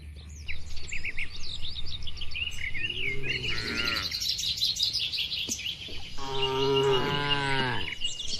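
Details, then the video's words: A farm-pen cow from a herd of dozens of tame cattle lets out two moos, the second longer and fuller. Busy, high twittering birdsong runs almost continuously over a low rumble of background noise. "Moo Moo Suara Sapi Lucu"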